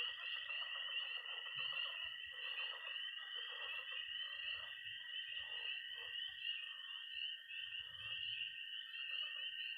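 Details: Missouri pond at night in early spring, full of peeping tree frogs, croaking frogs and high-trilling toads; continuous shrill peeps and a level trill dominate, with irregular lower croaks and soft low thumps.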